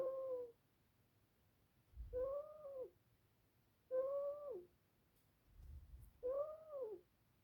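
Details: Pet ferret asleep and snoring indoors: four soft, whistling, nasal tones, each arching up and down over about half a second, repeated roughly every two seconds with quiet pauses between.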